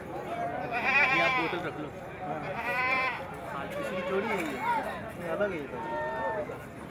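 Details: Beetal goats for sale outside Jama Masjid, Delhi, during Bakra Eid; several quavering, nasal bleats in the first three seconds, then fainter overlapping calls amid continuous chatter of people in the street.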